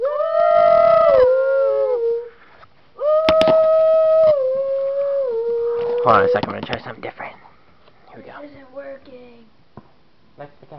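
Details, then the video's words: Miniature Schnauzer singing along to a played tune indoors: two long, steady howls slide downward at the end, then fade into broken yips and whimpers before a person's voice. "Schnauzer Dog Sings"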